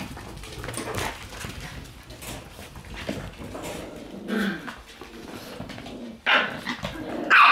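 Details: Shiba Inu dogs, several young ones, indoors after dinner on 27 April; scattered short barks and yelps with a few growly notes, irregular and spaced out, ending in a sharper louder yelp, with household noise between.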